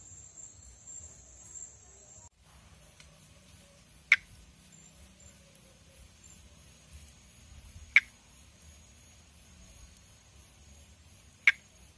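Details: Perereca-macaco (Pithecopus nordestinus), an arboreal tree frog of northeastern Brazil, calling and in amplexus. Three isolated short clicks come about four seconds apart. Behind them are a continuous high insect whine and a rapidly pulsing insect chirp.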